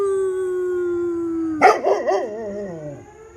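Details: Dog howling at a passing fire engine siren: a steady siren tone gives way to a loud, wavering howl with quavering pitch swoops, fading after about a second and a half, and then the siren continues.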